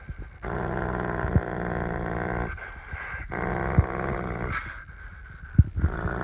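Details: Pit bull at play, wanting his toy back, gives repeated deep rumbling growls in two long bursts of about two seconds each with brief pauses between, plus a few soft thumps and scuffles.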